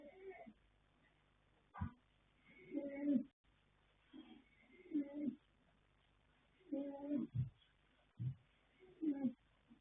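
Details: Asleep, the young colt Yanta (Fast Force out of Pink Blossom, foaled 21 January 2026) snores in rasping, gravelly pulls, some ending in a deep thud-like snort, about every two seconds.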